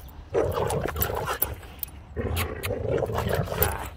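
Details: Boxer dog Rex, a talkative 'drama queen' always in a hurry to play outdoors, gives two long grumbling, moaning whines with a rough, throaty texture, each lasting over a second, a short pause between them.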